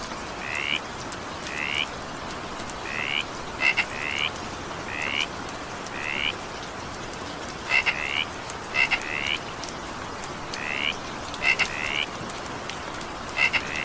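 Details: Frogs calling during evening rain: short rising harmonic croaks around the upper middle register repeated roughly every second, some doubled clicking notes, over steady broadband rain hiss.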